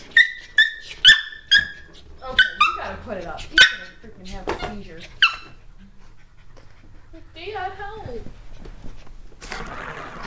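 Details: A Cairn Terrier playing with a cat toy lets out a burst of short, high-pitched yips and squeaky whines in quick succession, then a person talks briefly amid rustling.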